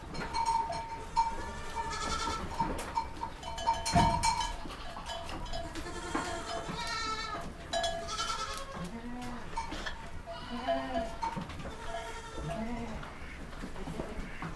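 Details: Baby goats calling constantly, many short wavering bleats overlapping from several animals, a steady tone ringing through, and one sharp knock near the fourth second.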